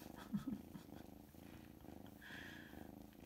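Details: A big kitten, just home from surgery for pectus excavatum and out of his sweater, purrs steadily, a low continuous rumble of contentment, with a woman speaking softly over it.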